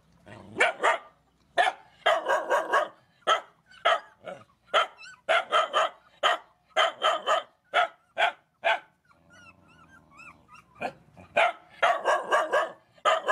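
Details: Mother dogs and puppies being fed at a rescue bark in rapid clusters, roughly two per second, with a brief lull of faint high whimpers midway before barking resumes.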